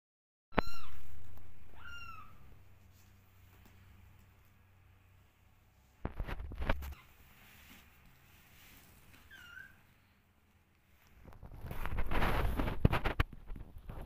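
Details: Hungry domestic kittens looking for their mother and cuddling her: a few short high meows, each falling in pitch, near the start and again midway, followed by thumping handling noises and a burst of broad rustling noise toward the end.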